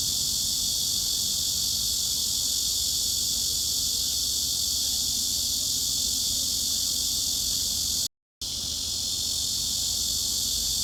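A continuous high-pitched cicada drone fills the recording, a dense shimmering buzz with no clear pauses or rhythm. The sound cuts out briefly near the end, then resumes just as steady.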